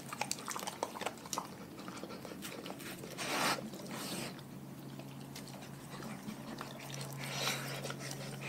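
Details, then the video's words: Dogs from a pack chewing raw food: irregular clicky bites and soft crunches throughout, with a couple of brief louder scraping bursts and a constant low hum behind. "Dogs Eating Raw Food"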